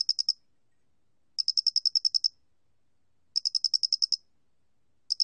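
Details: Loxoblemmus doenitzi cricket recorded by Korea's National Institute of Biological Resources, 2020, chirping in short trains of about eight to ten sharp, high pulses roughly every two seconds, with nothing else audible.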